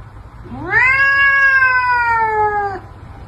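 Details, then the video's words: Cat during a fight gives a single loud, sustained yowl lasting about two seconds, rising sharply then holding steady and slowly falling, with strong harmonics and a quiet background. "Cats Fight - The Best YouTube Videos on Cat Combat"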